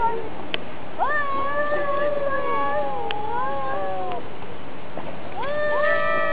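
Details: Domestic cats fighting: a long, strained, warbling howl holds for about three seconds, pauses, then a new rising yowl begins, with occasional sharp ticks.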